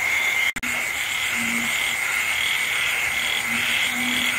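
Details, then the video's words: Frogs and insects calling on a rainy night in the Vietnamese countryside, including loud-calling frogs known locally as trảng ương and ểnh ương; short low croaks come in a loose series over steady rain and a high, unbroken insect hum. "tiếng côn trùng ếch nhái kêu trong đêm mưa"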